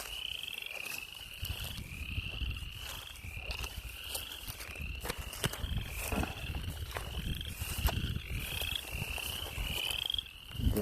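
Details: Frogs calling beside a farm stream, heard but unseen: a run of short rising pulsed notes repeating roughly every second over loud footsteps and rustling.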